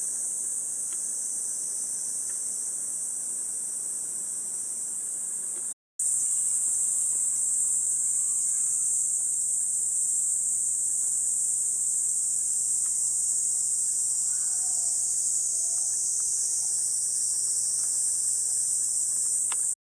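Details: Cicadas droning in Gifu Prefecture Hyakunen Park, Japan, during a hot 37°C morning on 23 July 2026: a loud, even, high-pitched hiss, broken by a brief cut near six seconds, then resuming unchanged with a low hum underneath.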